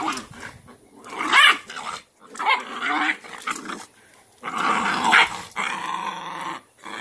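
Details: Cashmere, a Cane Corso mother, growls while pinning her dominant female puppy into submission as discipline; two long harsh snarling bouts with brief quiet gaps between them.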